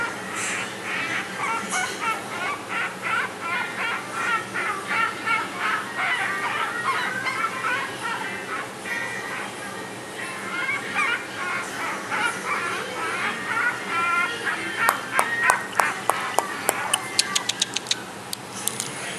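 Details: Female Chihuahua, cream coat, born 20 May 2013, an affectionate, tail-wagging pup with a frequently blocked nose, gives rapid nasal squeaking whimpers in long repeated runs, with a string of crisp tapping clicks near the end.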